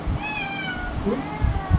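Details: A female tabby-like mixed-breed cat, about five years old, indoors while absorbed in a penguin toy, gives a drawn-out meow with a slowly falling tone, while a person asks her to sit and soft knocks sound.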